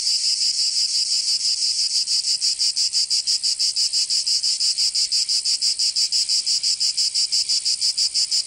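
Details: In Provence, southern France, cicadas sing through the summer heat: a loud, high, grating buzz broken into very even rapid pulses, about three per second, alone in the scene.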